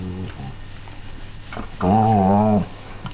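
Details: Airedale Terrier on a bed on a Sunday morning, playing with a sock; a brief low growl, then a sustained harmonic whining growl lasting under a second, over a steady low indoor hum.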